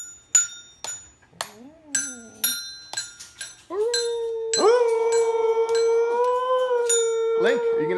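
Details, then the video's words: Mila, a husky, joins two children singing and playing: struck chime-like notes and a brief wavering voice, then a loud, level, drawn-out howl from the fourth second onward, with mallet notes continuing. "Adorable Husky Sings with Kids"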